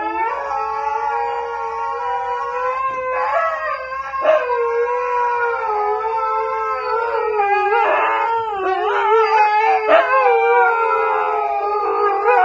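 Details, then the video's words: Husky dogs in a sustained group howl, several voices overlapping in long, rich, wavering tones. Short yelping breaks and sharp rises interrupt the chorus every few seconds, and the howling continues throughout. "Howling Huski dogs"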